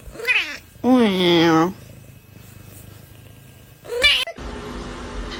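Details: Crying kitten gives one long, steady, loud meow lasting nearly a second, with a short chirp-like cry before it and another after it, then room noise.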